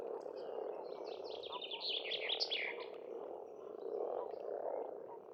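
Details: In spring at a countryside pond in Estonia, a massed frog chorus murmurs continuously and low, while a songbird delivers a fast, bright run of notes over the first half.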